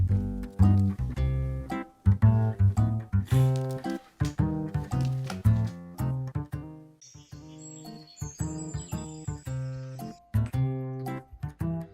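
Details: Upbeat plucked-string instrumental music plays throughout with a steady bouncy beat and no animal voices heard.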